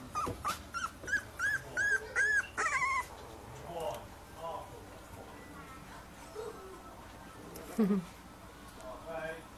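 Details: Chilli and Ron's litter of puppies whining in a quick run of about six arched, high-pitched squeaks over the first three seconds, then quieter murmurs, a low voice and a few soft whimpers.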